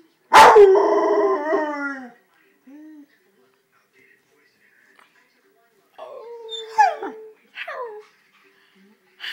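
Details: A 7-month-old Rottweiler howling or singing: one loud drawn-out harmonic wail with falling inflections lasting about two seconds, then quieter whining yelps after a pause, with music and a person speaking nearby.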